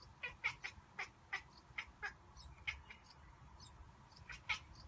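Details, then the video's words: Male pet cat watching birds out the window, making a monkey-like sound: a quick run of short, sharp chirping chatters, about a dozen bursts in under five seconds at uneven spacing, over a faint low indoor hum. "Cute Cat Makes a Sound like a Monkey"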